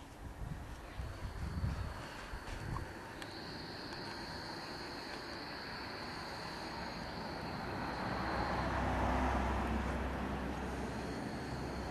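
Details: Broad engine rumble from passing traffic or aircraft with a steady high whine, and a few faint voices early on.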